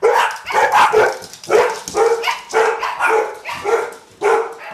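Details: Dog barking in a frenzied, agitated outburst: sharp, loud barks repeated in quick succession, roughly eight in under five seconds, each a short harsh burst with a mid-pitched core and uneven spacing.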